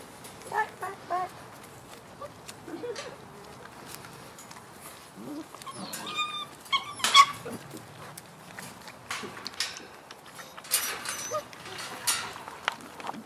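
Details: Six-week-old French Bulldog and wolf mix pups, a litter together, giving scattered high thin whines and squeaks amid bursts of clicking, rustling and patter, with a person talking nearby.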